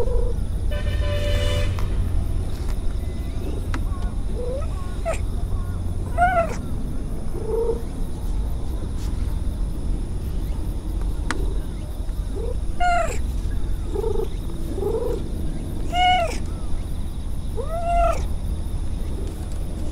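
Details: Stray cat meowing while it purrs: short, arched, harmonic-rich meows come every second or two in small clusters over a continuous low purring rumble, with a brief higher whine near the start.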